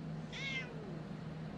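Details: Short, slightly falling meow from a domestic cat in a compilation of cats slapping humans, heard over a constant low hum.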